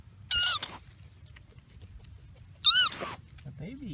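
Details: A baby koala with its mother at Australia Zoo gives two high, thin squeaks that rise and fall while a person speaks softly nearby, urging it to be gentle.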